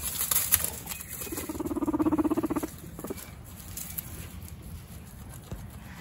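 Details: Pet male guinea pigs, brothers contesting dominance, give one low vibrating rumble lasting about a second and a half, rapidly pulsed and steady, after a brief scuffle noise, then quiet rustling follows.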